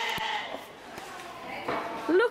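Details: Sheep (Ovis aries) at a country farm give a wavering, nasal bleat, partly covered by visitors talking nearby.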